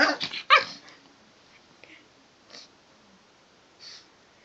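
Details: Japanese Chin dog being teased gives two sharp, harsh bark bursts at the very start, followed by near silence broken only by a couple of faint soft sounds.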